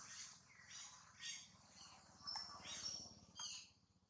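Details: Mother monkeys talking to a baby monkey give thin, high-pitched squeals and chirps in short bursts over a low background hum.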